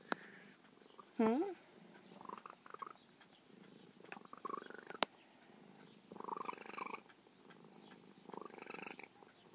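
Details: Formerly very feral female cat, now tame with her carer, purring softly with a brief rising chirp early on and several faint trilling bursts later; a sharp click and quiet human speech also heard.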